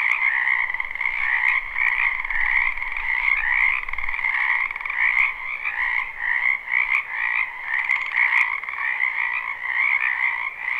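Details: Frogs croaking in a spring wetland, live recording without looping: a thick unbroken chorus of trilled calls layered in two pitches, with a soft low rumble during the first seconds and a few sharp ticks.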